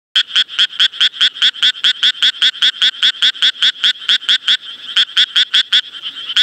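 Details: Japanese tree frog calling in a fast train of short, harsh, rasping croaks, about two or three per second, with a brief pause near the end and a quiet background.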